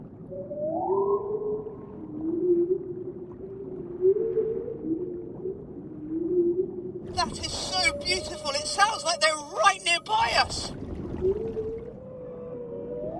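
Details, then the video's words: Humpback whales sing underwater at night: long, wavering moans that rise and fall, with a man speaking over part of it. "All I can hear is the singing of humpback whales."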